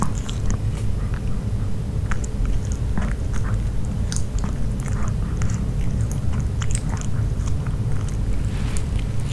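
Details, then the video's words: Dog eating grilled pork, close up indoors: continuous moist chewing, scattered sharp clicks of biting and soft lip smacks over a heavy low rumble, with no voices. "Piggy Dog Eating Grill Pork (No Talking) ASMR 먹방 EATING SOUNDS"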